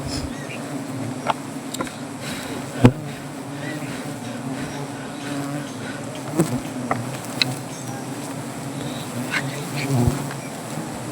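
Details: Angry native honey bees at a wild hive under a tree near Gazipur during honey collection: a steady low droning hum with a faint higher overtone, broken by sharp clicks and knocks of handling.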